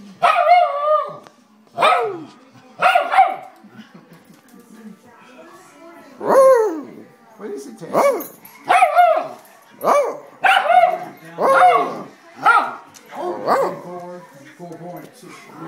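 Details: A worked-up dog howling in a run of about a dozen rising-and-falling wavering howls, each lasting under a second, spaced roughly one second apart, with a person's voice briefly at the start.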